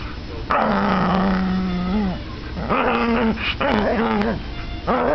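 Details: Bella the Chihuahua growling fiercely in play during tug of war with Sasha; long, steady, harmonic growls of one to two seconds each, three bouts separated by short pauses, a faint tonal backing underneath.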